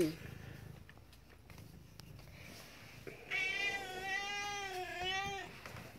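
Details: Morning feed-me call from a rescue cat: after a few seconds of quiet background noise, one long, steady, harmonic meow of about two seconds that dips slightly near its close.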